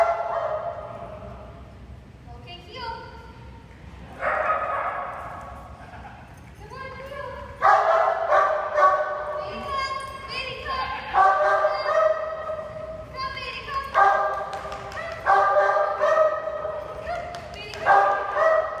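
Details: Bailey, a Great Dane puppy in a board-and-train programme, gives high, harmonic yipping barks in uneven bursts, growing busier and louder after the first seconds, with a person's voice heard between them.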